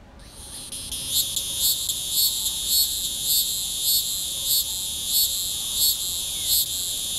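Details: Hieroglyphic cicada calling from a small oak tree along a road in Newton County, southwest Missouri, on a June 2010 morning at 9:56, about 82 degrees; a high, steady shrill buzz swelling into louder pulses roughly every 0.6 seconds.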